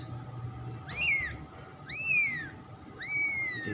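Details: Three loud, high-pitched kitten mews about a second apart, each rising briefly then sliding downward, from the black, orange and white second kitten of a pet cat, with faint background hum.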